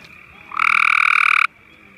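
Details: Gray tree frog spotted during a spring family campout at Marshy Point on May 10, 2014, calling to others nearby: one loud, steady pulsed trill lasting about a second, with a fainter trill running behind it.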